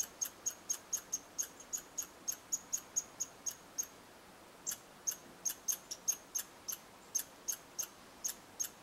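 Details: Red squirrels of Eastern Canada interacting at a bird hide: a long series of sharp, high chirps repeated roughly three times a second, with a brief pause midway, over a quiet background.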